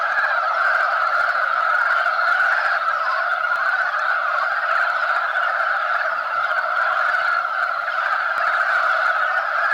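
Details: Steady chorus of mountain frogs at spawning, where males scramble and compete to claim females; overlapping croaking blends into one constant rasping drone lasting the full clip.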